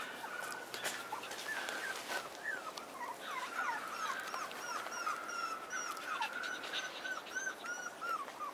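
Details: Pomeranian puppy, a male born on March 28 and an only pup, whining in rapid strings of high, squeaky, downward-curving notes, a few each second, fairly steady across the recording with faint rustling behind.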